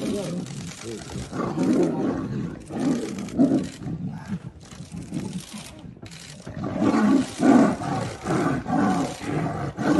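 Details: Male tiger fighting another male tiger, giving deep, rough roars and snarls in repeated bursts of about a second, with a brief quieter lull in the middle before the roaring resumes.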